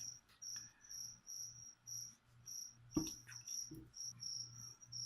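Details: Feeder cricket beside a leopard gecko at feeding time, giving runs of short, high, pulsed chirps in quick succession, broken by soft thumps and a sharp knock partway through.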